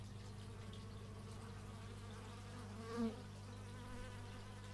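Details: Single bee passing near an x/y stereo microphone, a short, loud, wavering buzz about three seconds in, rising then falling, set against a constant low mechanical hum.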